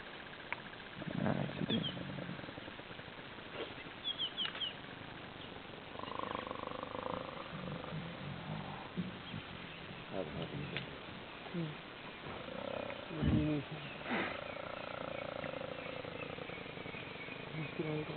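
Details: Hyenas fighting over an elephant carcass in the Sabi Sands, Kruger National Park; drawn-out tonal moans and whining notes rise and fall amid scuffling, with sharper yelps and rustling between calls.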